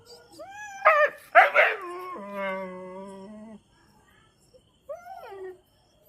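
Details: Chippiparai dog whining and yelping: a rising nasal whine, two sharp strained yelps, then a long level moan that drops low and holds before stopping. A short rising-falling whimper follows after a pause.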